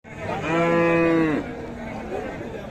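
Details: Cattle lowing at the Raniganj cattle market in Dinajpur, Bangladesh, where beef bulls and cows are sold, on 7 April 2025: one long steady harmonic moo lasting about a second, then crowd murmur and market noise.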